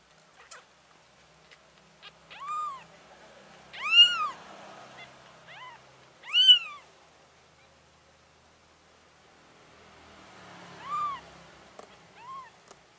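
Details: Mother cat relocating four kittens; scattered short meows, two stronger calls near the middle and softer ones at the start and end, separated by quiet stretches with low rustling.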